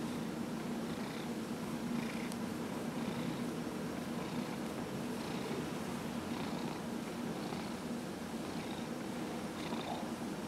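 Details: Massaged at home on November 27, 2018, 15-year-old Dillard, a cat in remission from small cell lymphoma, keeps up a strong steady purr, its rumbling hum rising and falling in soft pulses about every second.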